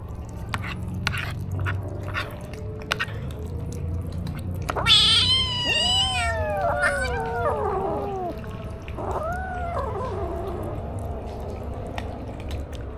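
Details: Stray kitten, recorded with a DJI Osmo action camera, giving a loud harmonic meow that bends up then down, followed by two softer wavering meows, over a low rumbling background with scattered clicks.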